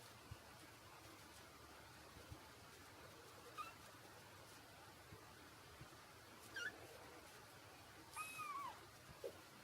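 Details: Four-week-old male Exotic Shorthair kitten, black and white, giving three thin, high meows spaced a few seconds apart. The last is the longest and bends downward. Quiet background hiss between the calls.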